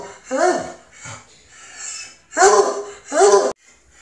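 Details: Treeing Walker Coonhound named Jax, worked up at the vet and eager to sniff other dogs; short, strained, falling yelps come in three bursts, a faint one early and two loud ones near the end, in a small indoor room.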